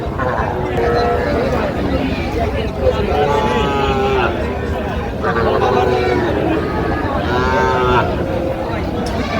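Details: Sahiwal bull and heifer calves at a cattle market in Pabna, Bangladesh, on 18 June 2025. Several drawn-out, harmonic moos come near one, five and seven seconds over constant crowd chatter and haggling voices.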